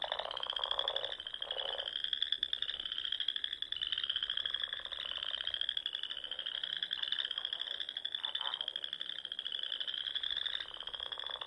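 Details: Frogs singing among the ponds of Nebraska's Sandhills on a spring evening, a thick chorus of gently rising pulsed trills repeated every couple of seconds, with occasional lower croaks mixed in.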